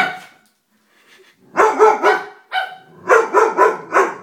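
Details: Dobermann puppy, scared of a stuffed toy, barking in sharp, high bursts: one faint yap, then about eight loud barks in quick clusters over the last three seconds.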